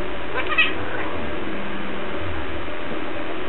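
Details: Pet cat 'talking' with people who ask why everyone must play with it; a single brief meow early on, then a long stretch of constant droning noise.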